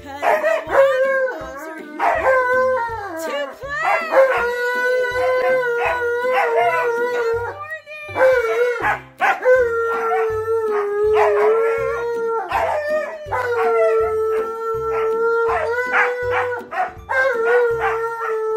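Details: An Alaskan Malamute and a Husky howl together in the morning, in long, wavering, mid-pitched tones that rise, hold and break off, after a person sings them a good-morning song.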